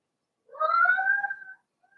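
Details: Blenheim Cavalier King Charles Spaniel puppies from Remy's first litter of six, two females and four males, born March 7–8, in an indoor puppy pen during potty training; one drawn-out tonal whine of about a second, slightly rising then holding steady, in a quiet room.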